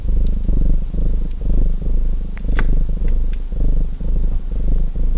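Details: Purring house cat, a low throbbing rumble rising and falling with each breath, while sharp fireplace crackles and pops sound over it.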